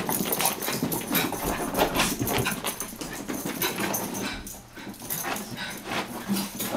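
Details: Two Chihuahuas, Taco and Santi, chasing each other around and wrestling at play, with dense bursts of scuffling, snuffles and short rough growly noises packed close together, some paw-like tapping, barely any quiet gap.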